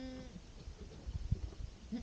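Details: Goat with its kids on a calm spring day: a brief, clear, tonal bleat opens the clip and fades within a third of a second. Soft low thumps and rustling follow.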